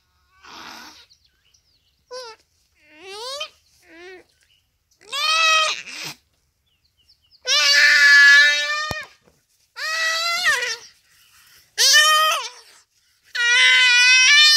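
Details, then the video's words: Common duiker under a cheetah's attack at Phinda Private Game Reserve, rainy afternoon, crying for help; a series of cries starting with short, faint, rising squeals and building into long, loud, strained wails. "Buck Cries for Help from Cheetah"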